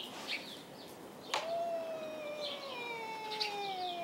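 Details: Two domestic cats, Tux and Schrödinger, in a dark hay barn caterwaul at each other rather than fight: a long, steady, gradually falling yowl with rich harmonics, held for almost three seconds after a sharp onset, with faint chirps behind.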